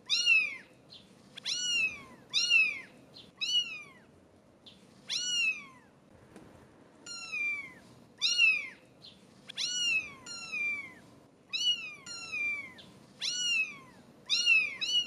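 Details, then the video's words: British Shorthair kittens aged 17 days mewing steadily: around twenty short, high, downward-curving meows, about one a second, with a brief quieter gap near the middle and no music. "British Shorthair Kittens Meowing so Cute!"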